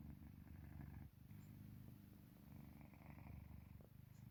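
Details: Deeply asleep house cat named Park Haru, always first to doze off beside its owner, giving a continuous low rumbling purr-snore with one brief dip near the first second, then a steady buzzing drone.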